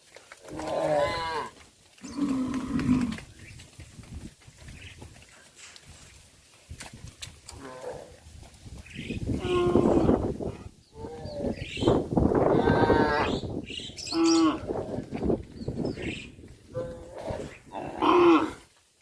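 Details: Several cattle on a countryside farm calling in overlapping, uneven moos and bellows, some wavering and others short and grunting, crowded together with few pauses over a noisy low background.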